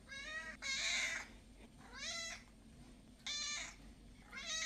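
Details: Domestic cat meowing, four separate drawn-out meows of about half a second each, some bending upward then falling, spaced irregularly over a low background hum.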